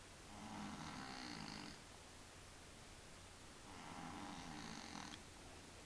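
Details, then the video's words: Snoring from Willy, a male house cat suffering from a sinus problem: two drawn-out, nasal, rattling breaths roughly two and a half seconds apart, with quiet gaps and a low constant hum underneath. "Kater schnarcht"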